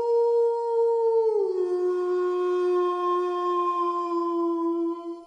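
A single wolf gives a drawn-out, pure-toned howl. The note holds level for about a second, glides downward, and carries on at the lower pitch until it fades.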